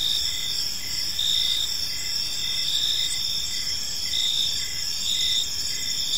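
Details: Evening in a quiet park, crickets fill the air with continuous shrill ringing trills, layered with a lower series of brief chirps that pulse regularly, against faint low rumble.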